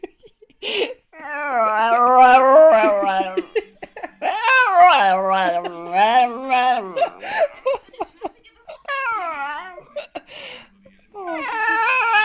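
A dog 'sings' in long, wavering howls that slide up and down in pitch, with brief pauses between them.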